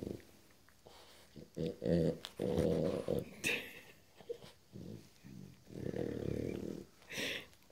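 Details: Tux, a Boston Terrier, protests having his coat put on indoors, giving low grumbling growls in several bursts, with Portuguese speech mixed in between the sounds in a small room.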